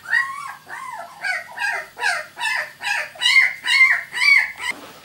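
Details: Close, loud squeals from a two-week-old miniature Labradoodle puppy of a litter born 31 July 2009: about eight drawn-out, arched whining cries roughly every half second, each rising then dipping.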